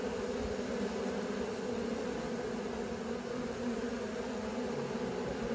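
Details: Young honey bees learning to fly fill the air with a continuous, even drone, a low hum with a brighter overtone, loud and unbroken from start to finish.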